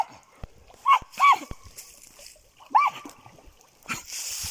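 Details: German Jagdterrier letting out three arched, yelping barks, two close together then one after a pause, amid clicks, splashing-like noise and a faint voice.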